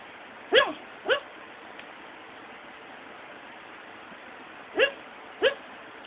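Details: Pet dog talking in its sleep one afternoon, seemingly during a bad dream: four short, high, yelping whimpers in two pairs, each pair about half a second apart, over a quiet indoor background.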